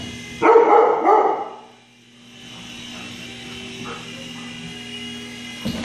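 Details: A Siberian Husky puppy, scared by a flying helicopter, gives a loud, wavering, whiny yelp in fear, with a low engine drone behind.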